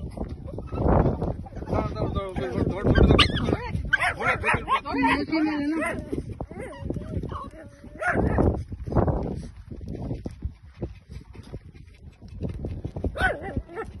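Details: A Shih Tzu and a Lhasa Apso growl, yip and whine in bursts while play fighting, with people talking.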